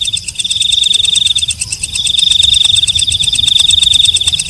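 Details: Walang kecek katydid calling at night with a sustained, piercing high buzz, broken by a short pause before resuming with faint underlying ticks.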